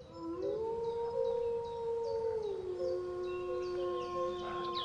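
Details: Wolf howling: a long, smooth, steady tone that rises at the start, holds for about two seconds, then drops to a lower pitch that continues to the end. Faint short high chirps repeat in the background.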